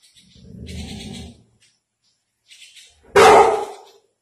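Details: Labrador Retriever playing with a bird: a low rumbling growl lasting about a second, a short pause, then one sharp, loud bark near the end.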